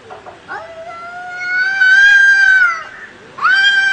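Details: A cat fight with low, uneven growled notes, then a long, swelling yowl that holds steady before dropping, and a fresh loud yowl breaking in.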